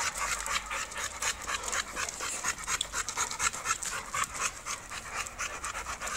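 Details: Rapid, rhythmic panting from an American Bully of standard UKC show quality, about four airy breaths per second, each a soft broadband huff, steady and unbroken across the recording.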